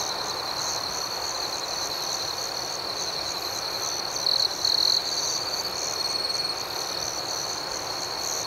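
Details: Crickets calling at night in a dense, unbroken high trill, while a closer individual adds two short, louder chirps around the middle, followed by fainter thin notes.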